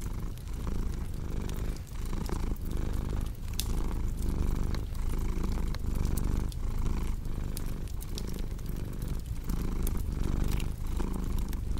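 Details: Cat purr as a deep, throbbing rumble rising and falling in regular breathing rhythm, with scattered bright crackles from a wood fire in the background.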